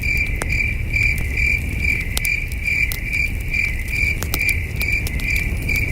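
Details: Crickets chirping at night by a campfire at a wilderness camping site, a steady high pulsing trill of short chirps repeating about twice a second, with crackling fire pops and a low rumble beneath.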